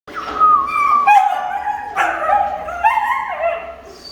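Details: Female German Shepherd puppy of show quality, sired by an imported dog, whines and whimpers in drawn-out, wavering tones that slide up and down, with a few sharper yelping rises, in a quiet indoor setting.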